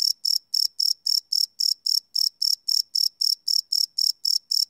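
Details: Crickets chirping at night, recorded live with a Sony PCM D100 field recorder: loud, even high-pitched pulses repeating about four times per second in a steady rhythm, with a faint lower tone beneath and no other sounds.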